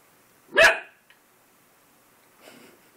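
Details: A puppy meeting his own reflection in a mirror for the first time lets out a single sharp bark, followed by a soft, faint sound and then silence indoors.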